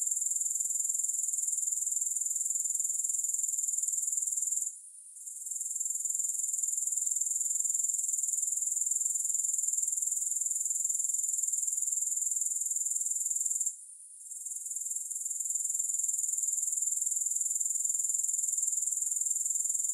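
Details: Grasshopper chorus, no music added: an unbroken high, shrill buzzing trill at constant pitch that cuts out briefly twice, near the fifth and fourteenth seconds, then resumes at full strength.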